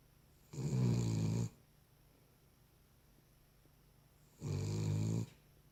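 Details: Deep, gravelly snoring from a sleeping Cavalier King Charles Spaniel, two drawn-out rattling breaths about three and a half seconds apart, quiet room hush in between.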